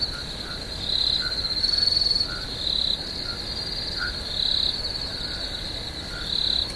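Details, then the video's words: Crickets calling at night in a swamp: a steady high-pitched trilling drone, swelling into louder shimmering bursts about every one to two seconds, with faint lower chirps underneath. "Cricket, Swamp Sounds at Night"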